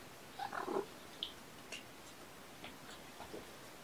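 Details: Kitten from Mama Olympia's litter, kept indoors with its mother, on a weekend morning, 18 February 2018, during petting practice. One short high mew with stacked harmonics, followed by faint scattered clicks and rustles in a quiet small room.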